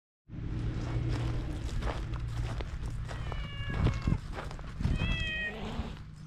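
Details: Wary stray cat outdoors, filmed on a GoPro HERO8 while being stroked with a cat brush, gives two short tonal meows, one around mid-clip and another near the end, over a steady low hum and rustling noise.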